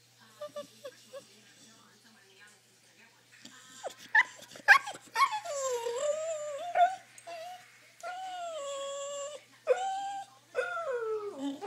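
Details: Isis, a noisy dog wanting to go for a drive, lets out long drawn-out whines that waver and slide up and down, in bursts of several seconds, after a few soft short yelps early on, indoors.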